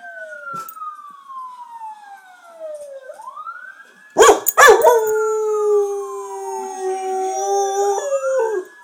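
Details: Indoor dog spurred to howl by police sirens on a TV show; a couple of sharp yelps, then a long, level, sustained howl over a rising and falling siren.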